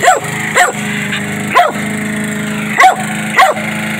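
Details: Jack Russell Terrier mix, a pet dog, barking angrily at its owner while a lawnmower runs in the yard; five sharp barks spaced irregularly over steady low engine drone.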